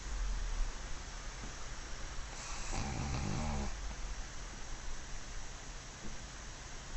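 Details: Black pug Mozuku, new to the household, lies asleep in an undignified sprawl and lets out one loud, rattling snore lasting over a second, flanked by softer breathing against constant broadband hiss.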